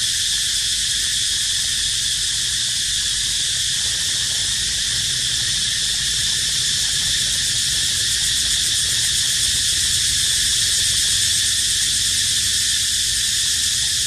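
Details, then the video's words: Crying cicadas give a constant buzzing whine, high and steady from start to finish, with slight flickers in texture and faint low background noise. "Amazing Sound Of Cicada Crying"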